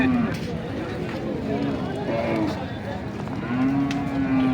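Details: Heifer calf offered for sale at the Nandail Chourasta cattle market, 10/04/2025. Three low, steady moos: a brief one at the start, a short one midway, and a longer sustained one at the end, with market chatter and music underneath.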